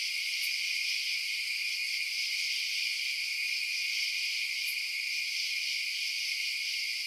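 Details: Crickets chirping at night: a dense, unbroken chorus of shrill, high-pitched trilling in several stacked bands, steady in loudness throughout, with two brief faint ticks near the start and middle.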